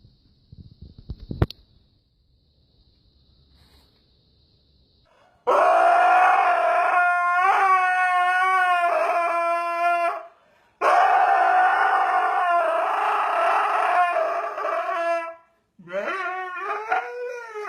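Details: Husky puppy at a kennel in Mumbai, India, making funny noises: after five quiet seconds with one sharp click, three long, loud, wavering howl-like yowls, each lasting about four to five seconds and rich in tone, with short pauses between them.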